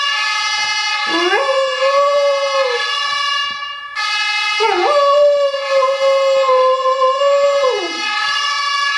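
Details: Dog howls in reply to a siren tone from a mobile phone. Two long howls each start with a quick upward swoop, hold a steady wavering pitch for about three seconds, then slide downward, layered over the continuous siren.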